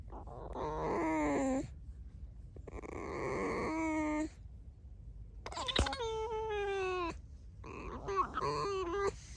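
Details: Pet red fox Alice squeaks repeatedly in drawn-out whiny tones, several harmonic cries that slide downward, with short breathy noises between them in a small indoor room.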